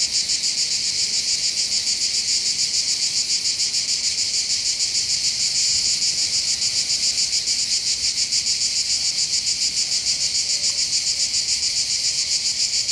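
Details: Cicadas in full song on the heights above Bandol port, Var, French Riviera, facing a calm sea: an intense high-pitched rasping drone with rhythmic pulsing, unchanging throughout, with only faint background.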